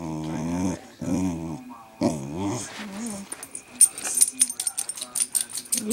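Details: Pet dog 'talking' indoors because she wants something: three drawn-out, groaning yowls that bend up and down in pitch, each about half a second long, followed by a person speaking and some clattering.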